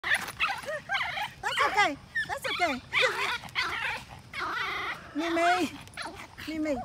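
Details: Three Pomeranians on a morning walk bark at a deer in shrill, rapid yips mixed with whiny, rising squeals.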